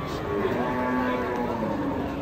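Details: Raging cattle frightening onlookers and drawing a crowd of local residents: a long, steady, low moo holds an even tone throughout, with faint background voices.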